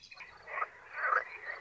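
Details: Frogs calling in a pond during a floating-hide photo outing, two species said to be present with two different calls; two raspy, croaking bursts about half a second apart, faint and brief.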